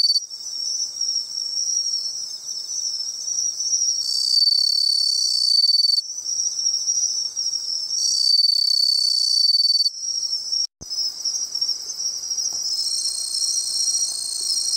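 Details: Bell crickets by the sea: ringing high-pitched phrases repeat every couple of seconds over a dense insect chorus, with one brief click partway through.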